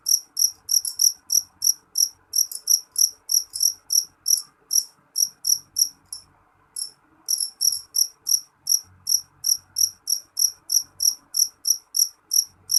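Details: A jeliteng cricket calls loudly with rapid, high, ringing chirps, about three each second. One short gap falls near the middle before the steady pulsing returns. A faint low-frequency hum is in the background.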